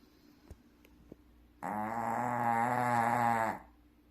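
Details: Loud snore from a sleeping Shih Tzu: a few soft taps, then a sustained, rough, nasal buzz lasting about two seconds that stops abruptly.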